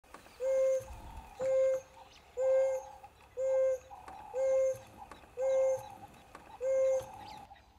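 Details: An African wild dog in the Okavango Delta, Botswana, gives soft, even hoots, each held briefly and repeated about once a second.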